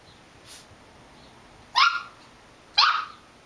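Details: Belgian Malinois puppy giving two short, high, sharp yapping barks about a second apart, with quiet pauses between them and faint background noise.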